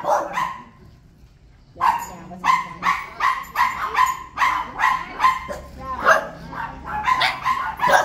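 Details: Dogs barking at arriving visitors: one bark, about a second of near quiet, then a steady run of loud, rough barks repeated several times per second until the end.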